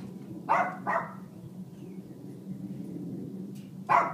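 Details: Family dog Mac barks indoors as Buddy, a 6-year-old African grey, tries to quiet him: two quick barks close together, a quiet gap with low room hum, then one last bark.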